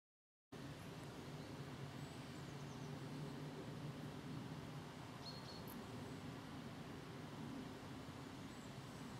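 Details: About forty green frogs calling together on 27 September 2013 in 30 °C heat, as the first cranes fly toward Spain: a dense, low, continuous croaking chorus with rapid pulsing throughout, plus faint distant high chirps.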